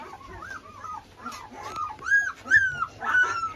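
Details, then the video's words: Hungry Presa Canario puppies, thirteen days old, in a rural setting, crying: a run of high, arching whimpers and whines, rising and falling, growing louder toward the end, with faint human voices urging them along. "啊，快点，快进来！你看你小狗叫的，饿的不行了都。"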